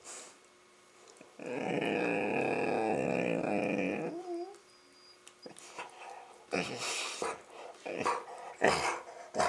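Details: Labrador making playful noises while playing with a Rottweiler puppy: one long, steady, groaning growl lasting nearly three seconds. Short scuffling and rustling sounds follow, with a few brief bursts near the end.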